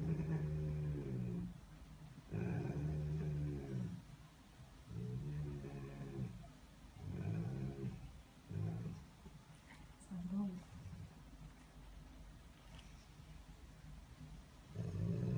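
A Rottweiler gives deep, rumbling growls in bursts of about a second, repeated with short pauses.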